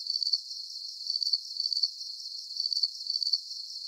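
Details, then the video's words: Soothing cricket sounds: thin, high chirps made of rapid pulses, grouped in bursts about half a second apart, over a soft hiss of more distant insects. "Ultimate Relaxation: 40-Minute Deep Sleep Symphony with Calming Cricket Sounds"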